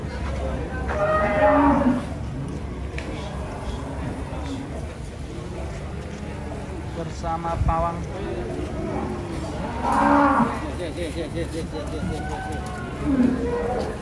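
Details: Agitated cattle coming down off a truck: three loud, drawn-out harmonic moos near the start, middle and end, over a constant low engine-like rumble and scattered human voices.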